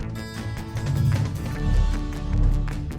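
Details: Background music with low bass and soft percussive taps, and no animal calls.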